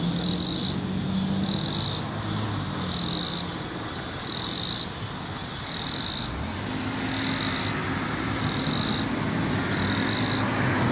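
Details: In North Carolina, a cicada sings pulsed bursts of shrill high buzzing, each lasting under a second and repeated about every one and a half seconds, while a vehicle rumbles low in the background.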